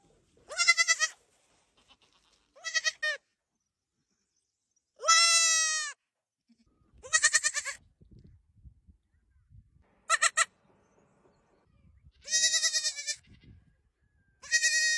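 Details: Tiny baby goats bleat repeatedly: clear, high, wavering cries, each about half a second to a second long, coming in uneven bursts every one to two seconds over a quiet background with faint low thumps.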